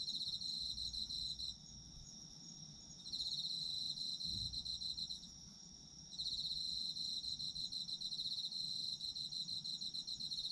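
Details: Autumn insects sing in overlapping layers: a constant high ringing trill plus a pulsing voice that falls silent twice for over a second, leaving a single low thump in the gap.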